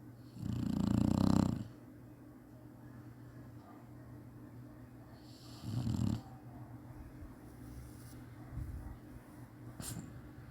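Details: A Chinese Shar-Pei dog taking a nap snores once loudly and roughly, then a shorter weaker snore follows about five seconds on, with small faint clicks and sniffs afterward.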